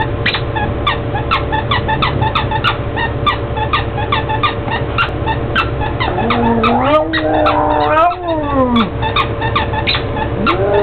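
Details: Pug named Bubba Moutes howling at his squeaky toy: a wavering howl that rises and falls in the second half, mixed with rapid, repeated squeaks from the toy throughout.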